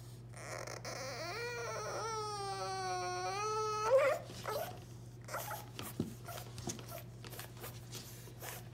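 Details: A new, very vocal French Bulldog puppy, shut out of the kitchen behind a baby gate, gives a long, high, wavering whine that sounds strikingly like a crying baby.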